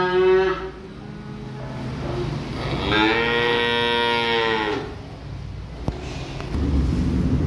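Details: Calf being unloaded from a truck lets out a long, loud bawling moo lasting about two seconds, rising then falling, with shorter moos around it and low vehicle rumble and a sharp knock.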